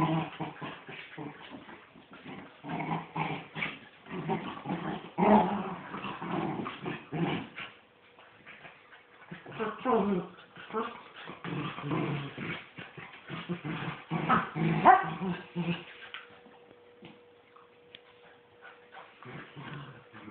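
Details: A miniature wirehaired dachshund growls, whines and yips in rough bursts while a mother and her son play tug of war, with people talking nearby.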